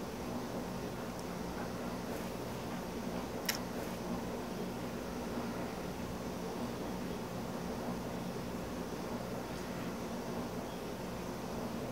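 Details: Steady broadband hiss and low hum of an indoor room, with a single soft rustle or tap midway and no animal calls.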